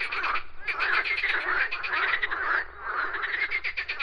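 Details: Frogs in full chorus, loud grating croaks made of quick pulses, packed closely together with a brief lull near the middle before the rattling resumes.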